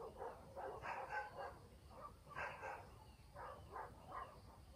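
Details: Village dogs at night give a run of quick, hoarse barks in loose bursts of two or three, some overlapping, with short pauses. A steady low countryside hum runs beneath them.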